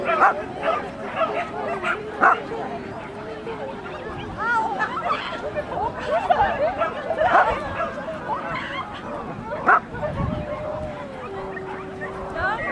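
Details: Barking from a Norfolk terrier at agility, recorded 28 March 2009: quick, sharp barks come in irregular bursts amid chatter from a crowd of people.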